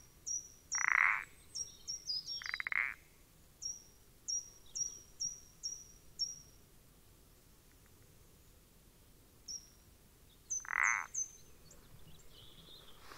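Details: Common parsley frog recorded on 14 April 2020, giving three short croaking calls: two close together early on, then one after a long pause. A series of high, thin, repeated chirps runs in the background.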